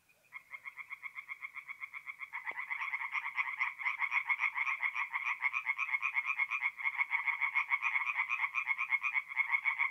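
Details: Tree frogs singing at night at a forest pond in north-east Italy in mid-April: dense chorus of rapid, harsh croaking pulses, several callers overlapping, building from a sparse start into a steady, loud rattle.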